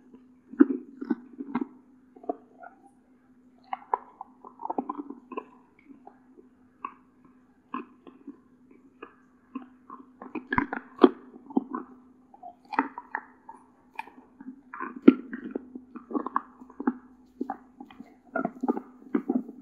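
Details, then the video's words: A one-year-old female Doberman Pinscher named Cola, living in California, USA, gnawing a deer antler, her favourite snack, indoors: irregular crunchy clicks and scrapes in uneven bursts, with a steady low hum underneath. "도베르만의 사슴뿔 먹방 ASMR"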